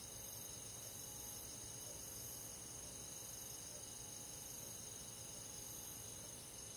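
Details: Summer-night cricket chorus in a rural forest, many insects chirping at once: fast, even high trills pulse about four times a second over a constant shimmering hiss, with nothing else standing out.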